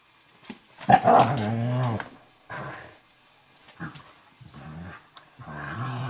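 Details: Two dogs play wrestling on a kitchen floor: an 11-week-old Eurohound puppy named Firenza and Brio, a 4.5-year-old Nova Scotia Duck Tolling Retriever. Fierce-sounding growls and grumbles come in bursts, one long rough growl followed by shorter snarls.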